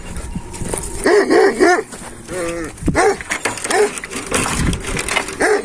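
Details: Deep, hoarse barks from Hançer, a purebred Kangal and son of Kurtboğan, filmed 26 April 2024. A cluster of three barks comes first, then single barks spaced about a second apart. Rustling and other noise can be heard around them.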